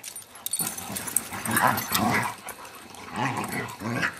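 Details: Abigail, a foster beagle, gives low, rumbling growl-like grumbles in several rough bursts, rising and fading over a few seconds with no other clear sounds.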